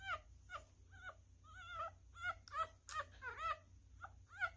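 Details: ['Tiny newborn miniature schnauzer, male, vocalizing during a feeding: drawn-out wavering whines that slur up and down, several short yelps between them, coming in uneven bursts over a few seconds.']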